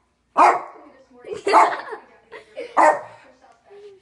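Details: A small dog indoors barks at a kitten pawing its tail as it drinks water; three short, sharp barks about one second apart, with soft voices between them.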